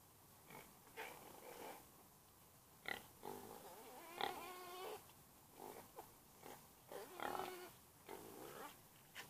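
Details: Domestic pig giving a string of short nasal grunts and oinks, roughly one every second, with a brief higher squealing grunt near the middle; quiet background between calls.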